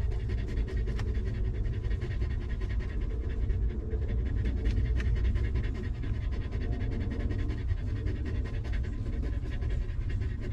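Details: A stray dog mother caring for a litter of puppies in a harsh environment pants fast and evenly, breathy puffs packed closely for the whole stretch, with a deep steady rumble underneath.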